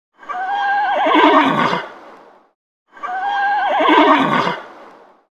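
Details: A horse (Equus caballus) whinnies twice, each call a loud, wavering neigh that shakes and then drops away.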